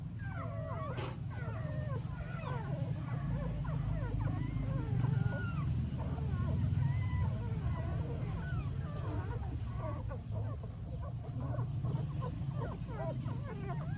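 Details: Mother dog with her puppies in Siem Reap, Cambodia: a dense stream of thin, wavering whimpers that rise and fall in quick succession throughout, over a steady low hum, with occasional Khmer voices.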